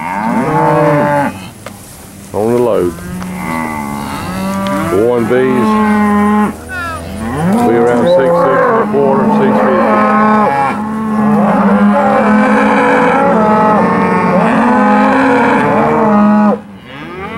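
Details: Loaded steers from Wicksburg, Alabama, at an auction sale on 8 August 2013: many overlapping moos and bellows in quick succession, rising and falling. Near-continuous lowing from several animals, with brief pauses near the start.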